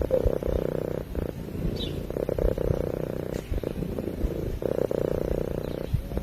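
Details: Sleeping cat purring, a low throbbing drone that swells and fades with each breath over several cycles, plus an occasional faint distant chirp.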